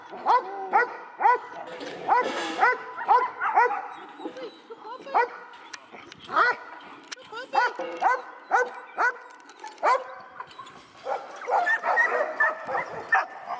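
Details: Echo, a seven-month-old male dog started in bitework training, gives a long run of sharp, harmonic barks at a brisk, uneven pace, some doubled, with a brief pause midway and a higher, thinner volley near the end.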